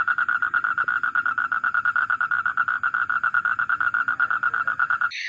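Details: A male frog calling, recorded for a two-week frog call analysis project, gives a long, steady train of rapid, evenly spaced mid-pitched pulses.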